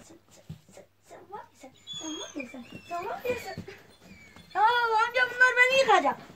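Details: Kangal puppies whimpering indoors: a burst of high, wavering whines with stacked harmonics near the end, rising and falling quickly, after softer scattered squeaks, with a man talking throughout.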